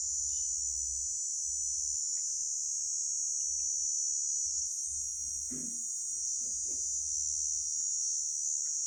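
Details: Steady, piercing insect buzz from a grasshopper, sustained without pause, over faint low thumping and a brief muffled noise midway.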